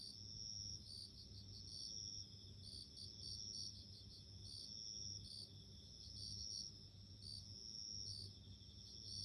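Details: Bell cricket, crisp high tinkling chirps in spaced bursts, some doubled, set against a steady high-pitched whine and a quiet low drone.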